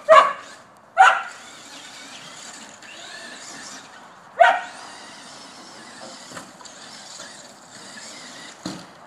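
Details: Border Collie, female, playing at chasing an RC car and snapping at its tires. Three loud, abrupt barks, two close together at the start and one more after a pause, over a steady electric motor whine.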